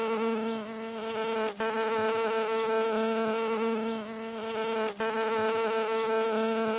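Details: A bee hums close by while landing, a continuous, low, rich drone of beating wings in roughly the 0.5–4 kHz mid-frequency range; the buzz holds an even pitch and cuts out briefly twice before resuming.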